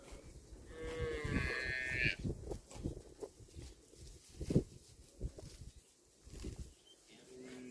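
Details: Cow eating grass, giving one drawn-out, wavering moo with rich harmonics at about one to two seconds, amid repeated soft thumps and rustles of grazing, then a short, lower tonal call near the end.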